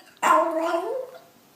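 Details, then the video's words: Dog giving a weird noise: a single sudden whining yelp that slides and trails off within about a second. "Funny Dogs' Noises!"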